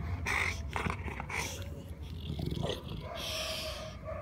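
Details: Big Buster, a large Dogue de Bordeaux, relaxing in the sunshine, gives short harsh vocal bursts with snuffling breaths, a brief higher whine in between, and a steadier breathy noise near the end.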